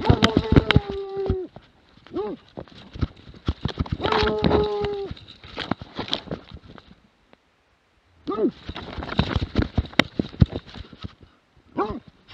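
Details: Plott hound in 2017 alternating drawn-out level bays with short arched barks, broken by a pause, amid constant thudding, scraping movement noise.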